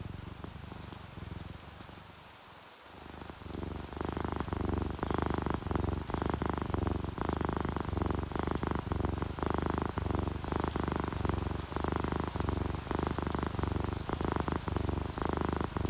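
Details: Relaxed purring from a dozing orange tabby and calico cat pair, paired with rainfall; after a quiet dip near the start, a deep rhythmic purr rises and continues with steady pattering rain throughout.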